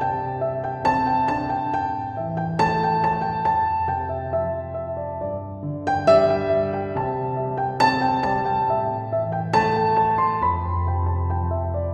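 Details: Gentle piano music plays throughout with no animal voices.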